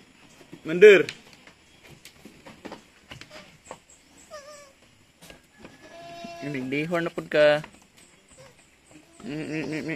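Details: Goat kids being weaned at Terra Grande Farms, San Carlos City, Negros Occidental, Philippines, give loud wavering bleats, a short cry early, then a long quavering bleat midway and another at the end, with quiet clicks and rustles between.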